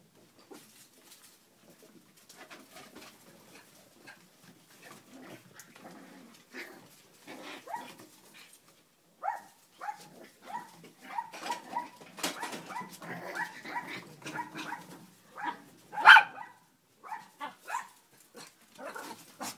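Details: Cleo's puppies playing on a kennel deck: scattered short yips, whines and squeaks from several pups, sparse at first, then busier and louder, with sharper barky yelps bunching toward the end.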